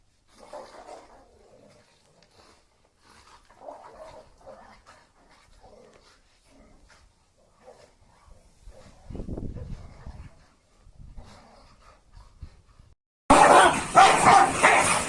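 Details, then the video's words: Dogs fighting: low, rough growling and snarling bursts come in uneven clusters through most of the recording, with a stronger rumble near the nine-second mark, then a sudden loud, harsh burst of noise fills the final two seconds. "Dog fighting."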